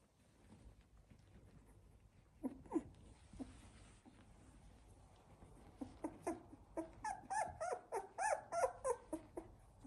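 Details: Labrador Retriever puppies of a litter, 16 days old: soft scattered whimpers at first, then a run of short rapid squeaky whines, about three per second, in the second half.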